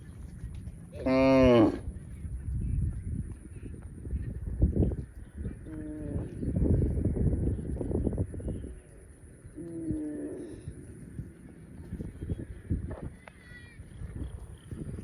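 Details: Baby cow giving a loud, strained, harmonically rich bawl near the start, followed by several shorter, softer moos spaced a few seconds apart, with low background rumble and scattered knocks.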